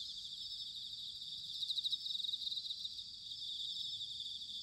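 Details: Autumn bell cricket chorus recorded in Sanuki, Chiba, Japan: a continuous shrill ringing drone, briefly overlaid by a closer singer's quick pulsing trill in the middle, over faint low rumble.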